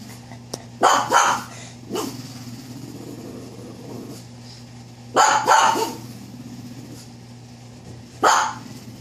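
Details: A dog on the steps barks at nothing in short, sharp bursts, often doubled, with pauses of a few seconds between.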